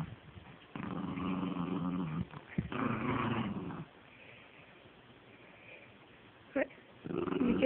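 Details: Pet dog growling while playing with a stuffed toy: two low, rumbling growls of about a second each, separated by a short pause, followed by quiet and a woman's baby-talk voice speaking to the dog.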